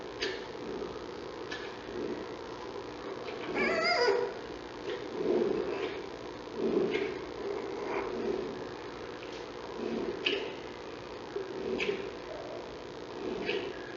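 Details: Newborn giant panda cub of Mei Xiang, born at 6:35 p.m. on Aug. 21 at the National Zoo and picked up by the panda cam, hiccups in soft short clicks about every second and a half, with a brief squeak near four seconds over steady background hum.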